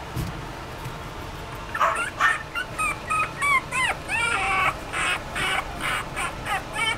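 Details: Chihuahua whimpering and yipping: after a quiet start, thin rising and falling whines begin, then quicken into rapid, bright yips roughly three per second, some breathy and noisy.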